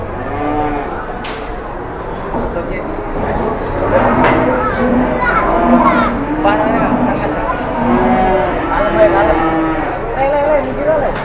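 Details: Cattle at Pasar Jelok livestock market in Boyolali, Indonesia: overlapping moos from several animals blend into a dense harmonic chorus, with steady market background noise and a few sharp knocks.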